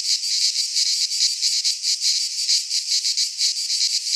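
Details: Midsummer cicada chorus from a pine forest in Greece: a harsh, shrill buzz pulsing unevenly about twice a second, steady and loud throughout.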